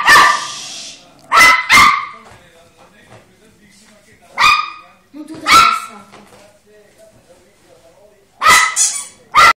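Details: Two-month-old Volpino Italiano puppy Fiocco yapping at home; short shrill barks in pairs and singles spread across the clip, separated by quiet gaps, with an Italian-speaking person nearby.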